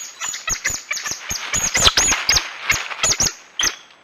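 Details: Coatis chirping: rapid high squeaky chirps with sharp clicks, given in irregular clusters of two or three every half second, steady and busy throughout before fading at the close.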